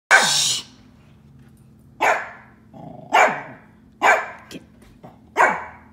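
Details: A dog on a back porch barks at a wild red-tailed hawk that had been put out raw chicken, five loud, harsh, downward-falling barks spaced one to two seconds apart, scaring the hawk away.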